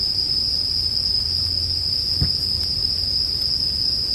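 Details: Continuous high, ringing bell cricket trill layered over a campfire for sleep listening, the tone never pausing; one sharp crack of burning wood stands out near the middle above a low background rumble.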